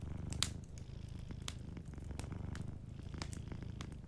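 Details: Gentle purring from a sleeping cat, a continuous low throbbing rumble in soft breathing cycles, overlaid by crackling fireplace snaps, one louder pop near the start.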